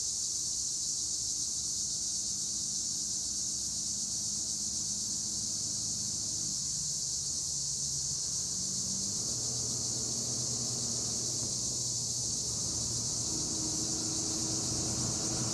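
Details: Olive-grove tree cricket chorus at Edremit, Gure, Turkey: continuous high, hissing trill from many insects, under low droning hums that shift in pitch like passing machinery.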